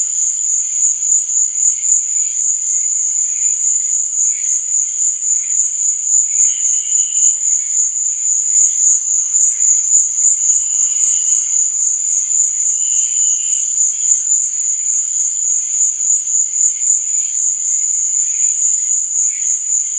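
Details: Crickets chirping through the night in a dense, constant high-pitched ringing that beats in fast, even pulses for the whole stretch, with occasional soft lower whistly tones underneath.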